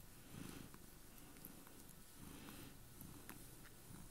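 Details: Chloe, a pet cat, purring hard while on a bed with her owner indoors; a steady low rumbling purr with rhythmic pulses of breath across the whole stretch, quiet room with faint clicks.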